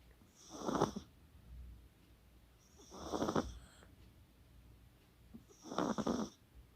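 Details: Sleeping Chihuahua Kaka, shown with poodle Coco, 24 October 2020; three drawn-out, raspy snoring breaths roughly two and a half seconds apart, each swelling and fading, with near silence in between.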